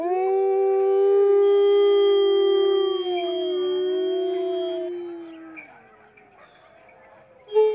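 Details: Captive wolves at Wolf Park in May 2010 give overlapping smooth, tonal howls, two voices held steady then gently wavering and sliding down, fading after about five seconds, followed by quiet with a brief sharp sound at the end.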